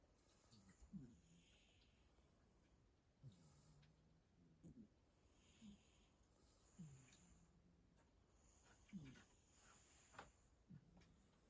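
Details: Two domestic cats snoring as they sleep: soft, low rasping breaths rising and falling at a steady pace, roughly every two seconds, very quiet against faint background hiss.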